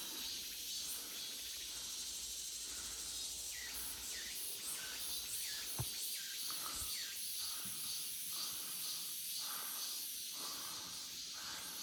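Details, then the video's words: In a forest in August, cicadas keep up a constant shrill buzzing wall of sound; lower swooping chirps recur in an irregular series through the middle, and a couple of brief knocks are heard. "August Forest Full of Cicada Sounds 매미 소리 가득한 8월의 숲"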